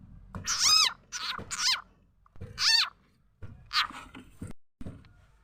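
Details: Frog calling, a sound used to lure birds, chickens and other fowl: quick run of three rasping, downward-sweeping harmonic notes, a brief gap, then two more, over a low background hum.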